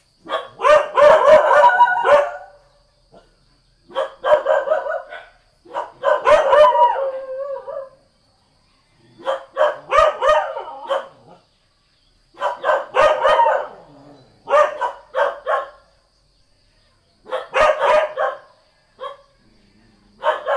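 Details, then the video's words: Barking bouts from a Thai village dog, each a dense burst of rapid harsh barks lasting one to two seconds, repeated about every two to three seconds with quiet gaps between. "เสียงหมาเห่า หมาบ้านๆ Dog Sound"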